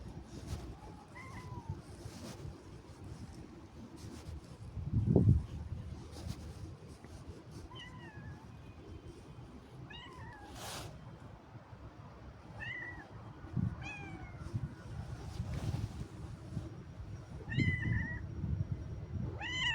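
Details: Domestic cat out on a little walk with its owner, giving short arched meows, roughly six spread across the recording, some in quick pairs, over a steady low outdoor rumble with a loud thump midway.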